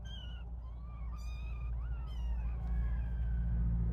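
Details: Little kittens at play mew in a string of high, wavering cries that rise and fall, several overlapping, over a steady low hum.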